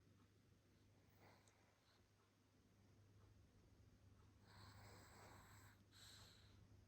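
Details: Pomeranian named Baek Seoltang, asleep indoors in a small room, snoring softly: a faint, low rumbling breath repeating in quick, uneven pulses, growing slightly louder and breathier over the last two seconds.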